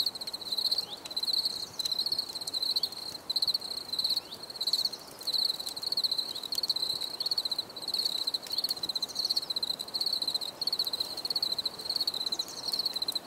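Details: Steady high-pitched cricket chirping from a relaxation nature recording, pulsed trills running almost without pause, with a few faint background ticks.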